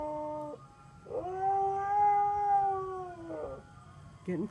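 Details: Sonny the Siberian Husky howls intermittently as an ice cream truck makes its rounds: one smooth, drawn-out howl rising slightly and falling, framed by short fainter vocal bits.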